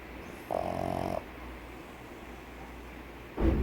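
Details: Pug dog snoring: one loud rattling, buzzy snore lasting under a second, with a steady low hum behind it, a quiet pause, then the start of another snore at the end.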